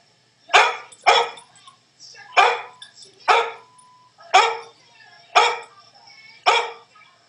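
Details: Soft-coated Wheaten Terrier puppy barking while watching a screen: seven sharp, bright barks, the first two close together, then single barks about one second apart, quiet between them.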